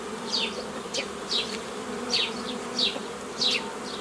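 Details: Honey bees buzzing during the forming of nucleus colonies the old style, made from a previously formed forager swarm, on 15 May 2018; a steady low droning hum runs throughout, with sharp descending high chirps from other creatures about every half second.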